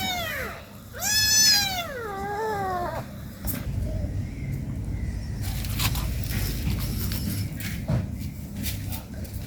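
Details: At home, an 18-day-old kitten plays with its mother. Two drawn-out meows open the recording: the first falls, the second rises briefly and then drops. Steady background hiss and scattered clicks follow.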